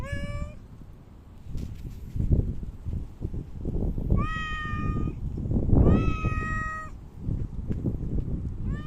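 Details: Park cats visited outdoors on 3 August 2023, just after Typhoon No. 6 had passed; three clear, drawn-out, tonal meows, the last two longer and slightly rising, over heavy low rumbling and shuffling noise.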